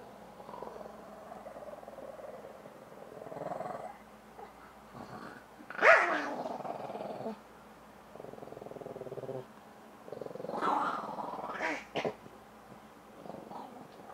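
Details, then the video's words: Shih Tzu growling while playing with a man, low rough rumbling growls in bursts with a couple of sharper loud yelps near six and eleven seconds, quiet gaps between. "SHIH TZU GONE CRAZY!"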